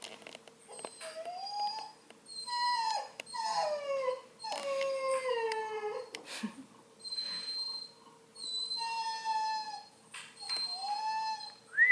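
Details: Male Redbone Coonhound puppy whining indoors, possibly missing the other puppies. It gives repeated drawn-out, high, tonal whines that rise and fall in pitch, about eight cries in twelve seconds, with a woman speaking softly and a faint steady hum behind.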